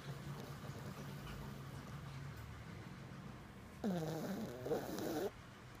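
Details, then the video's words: Pishu the jug puppy asleep and snoring, soft low rhythmic rumbles followed by a louder warbling, whistling nasal snore lasting over a second, then quiet breathing. "Snoring Puppy"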